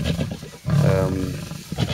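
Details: Lionesses of the Styx pride contest a bushbuck kill up a tree at MalaMala Game Reserve near Kruger National Park, elephants passing nearby; a brief pause, then one deep, rasping growl lasting about a second.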